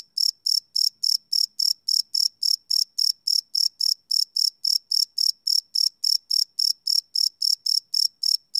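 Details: Night-time crickets captured live on a Sony PCM D100 recorder, chirping in a steady, fast train of short high pulses, roughly three to four each second without pause, over a silent background.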